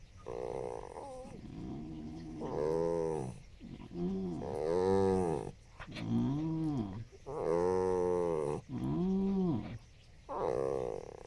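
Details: A 13-year-old Yorkiepoo gives a string of drawn-out, yowling barks that rise and fall in pitch.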